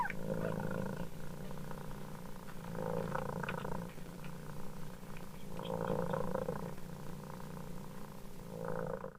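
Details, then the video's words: Steady low purring of a mother cat in pulsing waves, rising and falling in loudness, with no clear meows. "Ibunya mendengkur,anak kucing miaow miaow"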